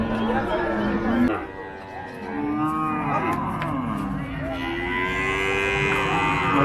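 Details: Cattle lowing at the Paragram cattle market on 7 December 2024: long, drawn-out harmonic moos overlap one another, some rising and falling, over steady crowd chatter and market noise.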